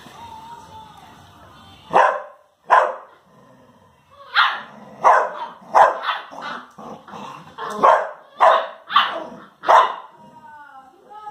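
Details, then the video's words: Two Labrador Retrievers, a mother and her son, barking while playing together: loud broadband barks in an irregular series, about ten over eleven seconds, some in quick pairs, with faint background music. "Mom Dog VS Son Dog"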